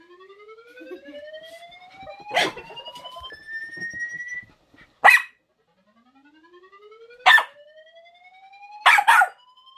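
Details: A dog reacts to a strange sound effect with sharp, sudden barks, about five in ten seconds, some in quick pairs. Between them, smooth rising whistle-like sweeps glide upward again and again.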